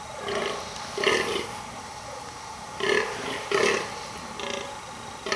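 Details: Fallow deer male in rutting season, burling almost non-stop to impress the females; four gruff, croaking groans in uneven spacing, deep belch-like grunts with raspy overtones, some coming in close pairs.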